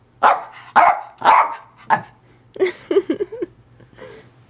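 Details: Household dog Zoey lets out four quick sharp barks, then shifts into a run of short, lower, warbling grumbles and whines, ending with a faint yip; low hum throughout.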